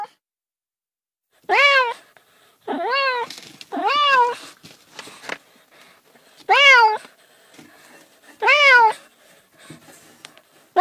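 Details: Cats meowing indoors, five clear arched meows in irregular succession, each short and bending up then down, with faint rustling and soft background noise between calls.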